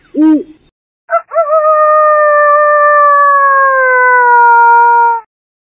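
A coyote gives one long, steady howl lasting about four seconds and sinking slightly in pitch, after a brief low hooting note.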